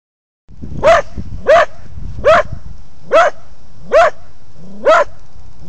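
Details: Cocker spaniel barking at a sign in a park, recorded on a phone: six sharp, tonal barks spaced roughly 0.8 seconds apart, each with a slight rising-falling inflection, over low rumbling background noise.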